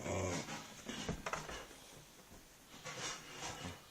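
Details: A 3.5-month-old male Akita puppy indoors, during ball play, gives a brief low growl, followed by soft snuffling and scuffling sounds.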